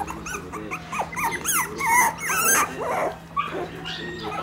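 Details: One-month-old Shiba Inu puppy wagging its tail, giving a busy run of high, bent whimpering squeaks and yelps, several overlapping, with music behind.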